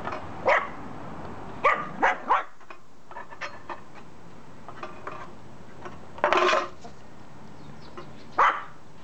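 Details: Black mame Shiba Inu named Mamesuke, afraid of a slatted board, gives short sharp barks: a single yap, then a quick pair, a louder bark after a pause and one more near the end, over faint indoor background.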